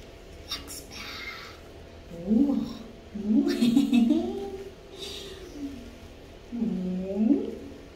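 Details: Boston Terrier complaining during bath time, uttering three bouts of low, wavering, throaty moans that rise and fall, separated by pauses, with soft splashing noises indoors.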